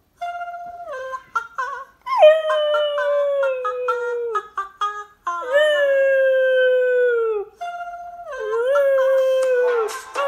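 A Cocker Spaniel gives drawn-out, tuneful howls that slowly slide downward in pitch. Brief yelps and whimpers fill the gaps between the longer notes.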